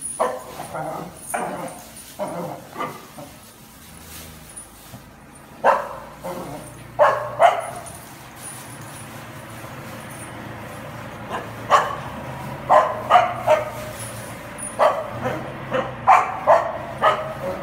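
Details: Welsh Corgi named Dixie fearlessly herding cows outdoors, barking in short sharp bursts, single barks then rapid clusters of three to four, with gaps of quiet between volleys and faint low rumble in the background.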